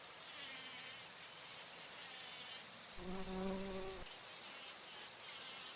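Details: Flying bumblebee visiting flowers for nectar: after a stretch of high, shrill insect hiss, a loud low buzzing hum with stacked overtones passes for about one second, then stops abruptly.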